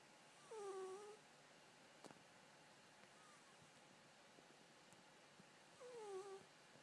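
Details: Caged male Scottish Fold, six months old, sleeps and snores; two drooping nasal whistles sound about five seconds apart, with a light tick between them in a hushed room.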